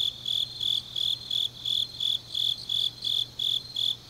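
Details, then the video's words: Autumn night chorus of grass insects in Changnyeong, South Gyeongsang, Korea: steady shrill chirps repeated roughly three times per second, each short burst bright and high, over a soft constant low hum. "깊은밤 가을 풀벌레 소리"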